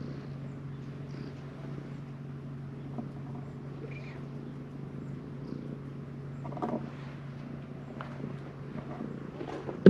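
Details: A very friendly stray calico cat purring, a steady low rumbling drone held unbroken for ten seconds, with a few faint higher squeaks midway and a sharp knock at the very end.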